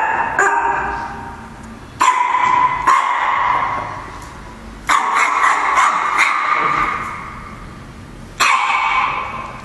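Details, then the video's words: Barking at the camera, a cute black Chihuahua lets out bursts of shrill, tonal yaps, sometimes doubled, separated by short pauses of one to three seconds in a quiet room. "Chihuahua dog barking at camera"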